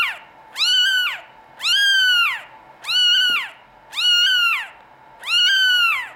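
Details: Repeated plaintive mewing from Norwegian Forest Cat kittens of European bloodlines at a cattery: five bright, harmonic cries with a rising start and falling tail, spaced about a second apart.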